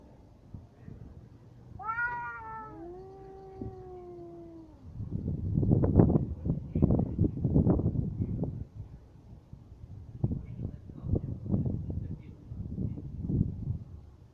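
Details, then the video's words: Cats in a fight: a drawn-out, wavering yowl that slides downward, then nearly ten seconds of harsh, noisy scuffling bursts and hisses coming in irregular clusters. "Коты батл."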